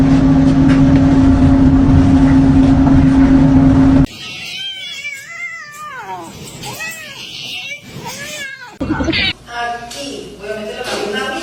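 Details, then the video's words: Kitten meowing: after a steady low hum, a run of arched, wavering meows, each rising then falling, repeated quickly in a small room, with faint voices and a final higher squeal. "kitten meowing call"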